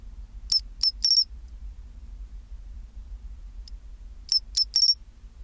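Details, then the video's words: Chinchirorin song of a pine cricket, recorded at 24°C, in two bursts of three ringing, high-pitched clicks each, the bursts separated by roughly three seconds of near silence and a low steady background hum. "チンチロリン Sound of pine cricket"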